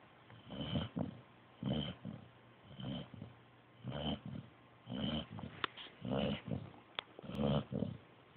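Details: Pointer puppy sleeping indoors, snoring softly in steady raspy breaths about once every second, each a low rough wheeze with a faint nasal edge, with small clicks between breaths.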